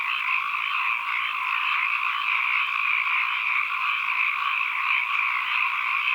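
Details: Chorus of frogs as an ambient nature recording, countless callers overlapping into a continuous, even, rattling drone that holds at one level throughout, with no gaps and nothing else audible.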